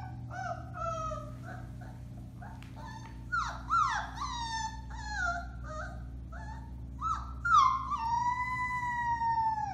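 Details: Howling Alaskan Malamute pups, four weeks old, from the Bema and Cole litter on March 30, 2021: scattered yelps and short wails build into longer, sliding howls, the last one drawn out and slowly descending, with a low hum behind.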